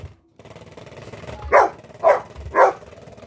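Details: Blu, a Golden Retriever scared of a shaking Halloween pumpkin toy, lets out three short, sharp barks about half a second apart over low background rumble.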